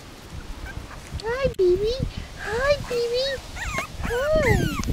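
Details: Five-week-old Miniature Pinscher puppies playing together, exploring and eating; high, wavering whines rise and fall in short bursts of under a second, four in a row with brief gaps, over a soft low background murmur.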